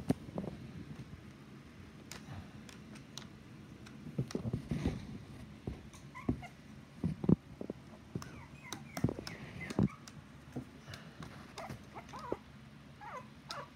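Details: Puppies, mostly one named Charles, make faint, high, squeaky whimpers as short bending tones, mostly in the second half. They sit over rustling and clicking movement noises, with quiet human talk nearby about changing blankets.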